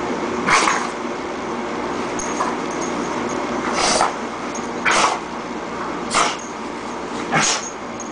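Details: Female dog caught in a sneezing fit, five sharp, explosive sneezes spaced about one to one and a half seconds apart over steady background hiss.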